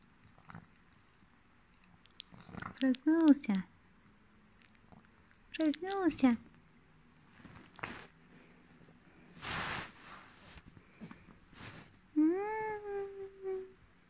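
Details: Boston Terrier. A sleeping Boston Terrier lets out short bursts of high, quavering whimpers, then a longer rising-and-falling whine. Breathy snuffles and faint rustling fill the gaps between the calls.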